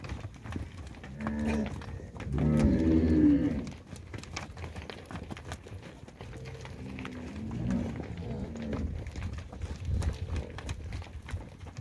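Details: Herd of 154 heifers, 22 to 24 months old, in São José do Rio Preto, São Paulo, Brazil: a long, low, harmonic moo swelling for about two seconds, then a second, weaker moo later, with clattering and rustling from the herd throughout.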